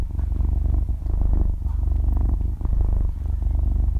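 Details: Soft yet loud rumbling purr from a half-year-old kitten that has drifted off to sleep, recorded close to the microphone; an even, buzzing low drone with gentle breath pulses and nothing else heard.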